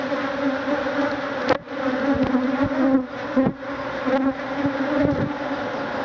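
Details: Thousands of Africanized honey bees in a stinging cloud attack a man removing their hive; a dense, steady droning hum with a strong low tone, broken by sharp knocks and thuds.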